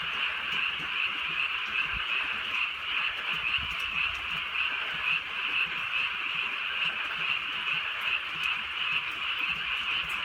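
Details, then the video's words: A massed frog chorus on a rainy night in the countryside. It forms an unbroken, shimmering trill that stays level throughout, with faint low rumbles beneath. "개구리 소리"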